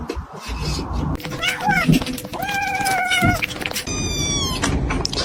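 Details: House cat producing several level, whining meows over steady background noise, ending with a higher thin wavering tone.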